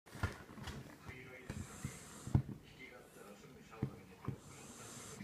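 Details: Kinako, a female Jack Russell Terrier, snoring: short, low, snorting puffs of breath come at irregular intervals, with sharper bursts around the second and fourth seconds in a quiet small room.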